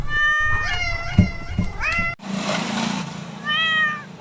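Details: Cat meowing: a cluster of bending, drawn-out meows, then a burst of hissy noise and one more clear falling meow near the end.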